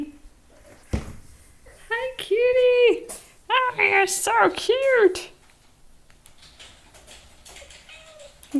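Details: Molly, a spotted cow-patterned pet cat, gives a run of drawn-out, arching meows, rising then falling, clustered between about two and five seconds. A woman's voice chats to her before and after, indoors in a small room.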